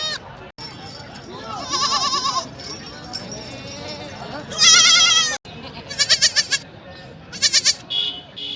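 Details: Young goat kids at a market before being sold, bleating in short wavering bursts of about a second, several calls spread through the stretch over a background of crowd chatter and market noise.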